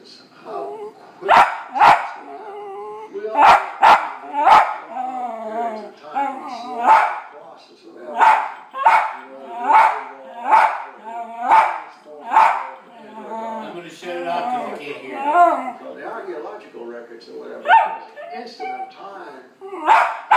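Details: West Highland White Terrier barking at dogs on television: long irregular volley of sharp barks, some clustered in fast doubles, mixed with yelps and television speech and music throughout.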